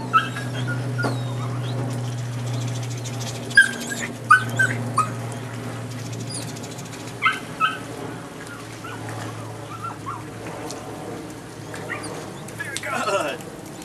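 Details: Nine-week-old female puppy of the Rodin/Katana litter giving short, sharp high yips and whimpers in scattered bursts, some paired, with quiet gaps between, over a steady low electrical hum.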